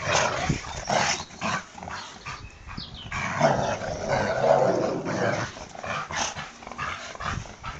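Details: Two dogs, a Labrador and a boxerdor, playing tug of war: rough, broadband growling bursts and scuffling noises fill the whole stretch, rising and falling in loudness without clear pauses.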